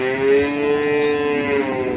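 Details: Limousin calf, morning, Ambarketawang in Sleman: one long, level, droning moo held for nearly two seconds with rich harmonics and little pitch change.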